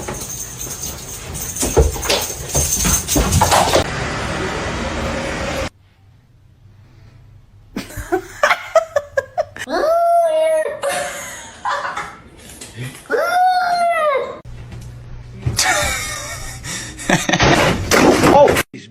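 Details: Domestic cat from a funny cat compilation giving two drawn-out, arching meows a few seconds apart, rising then falling in pitch, amid background music, laughter and bursts of noise.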